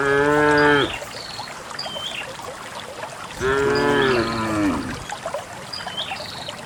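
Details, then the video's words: Cattle walking happily through wild grass toward a green valley on a quiet morning, released to graze; a moo fading at the start, then a second, falling-pitched moo after a pause, with scattered high bird chirps behind. "the distinctive sound of cows"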